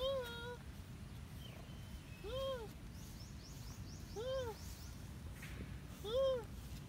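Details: Cat that wants to play repeats arched meows roughly every two seconds, four calls in all, with soft chirping birds and outdoor background noise.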